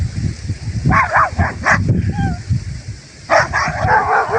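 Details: Kangal dogs in their village surroundings: short harmonic barks in a quick pair near one second, another at about 1.7 seconds, then a louder run of barks toward the end over low rumbling background noise.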